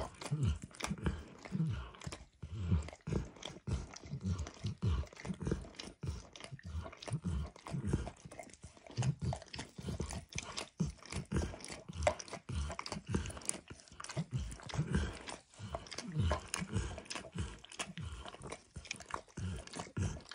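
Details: A steady run of moist lapping and slurping from Max the dog working over a bumpy orange licking mat laden with eggs and diluted peanut oil, dense uneven strokes heard up close indoors with no talking.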